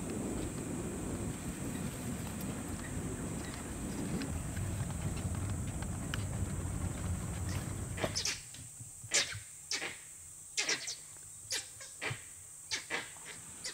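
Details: Langurs sitting in trees in an Indian forest give sharp, barking alarm calls in quick bursts that echo through the jungle, warning of an unseen danger, possibly a leopard or wild dogs, before the calls die down.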